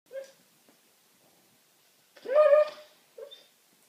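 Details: Pet dog asleep on a sofa indoors, trying to bark in its sleep: three short, soft, muffled woofs, with a louder, tonal, whining one in the middle, separated by silence in a quiet room.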